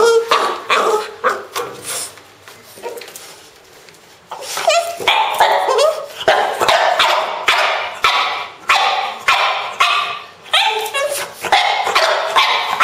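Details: Strange noises from Pro, a pet French Bulldog: a few whiny yips, then a quick, uneven string of sharp, harsh barks and yelps, some rising in pitch, coming more than twice a second.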